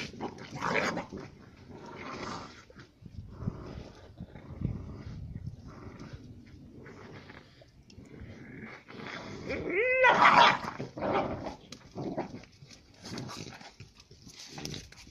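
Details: Fighting female Central Asian shepherd puppies, Giranda and Gardarika, from Tajikistan shepherd lines; low throaty growls alternate with snarling bursts, and near the middle one pup gives a sharp rising yelp.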